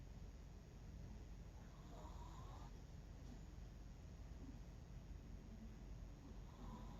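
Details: Bangul-i, an 11-year-old sleeping Miniature Pinscher, snores softly indoors: two faint whistling, nasal breaths a few seconds apart over a low steady rumble of room noise.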